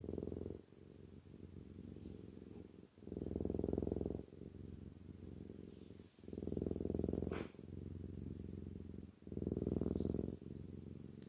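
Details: A Maine Coon cat (Felis catus) purrs steadily, a low rumbling drone that swells and eases with each breath.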